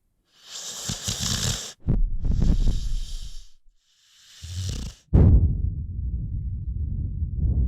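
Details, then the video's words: Rocky, an American Pit Bull Terrier, lies asleep. Hissing breaths give way to a loud, deep, rattling snore that starts abruptly and rumbles on steadily to the end. "CUTE AMERICAN PITBULL Sleeping‼️ Rocky snoring 💤"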